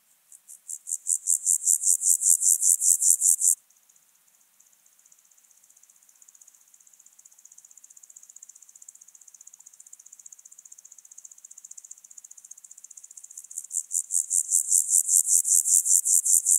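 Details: Alpine grasshopper on Obir, Austria, 30 July 2022: a loud burst of rapid scratchy pulses, then a long quiet stretch of soft, fast ticking that builds back into a second loud rasping series.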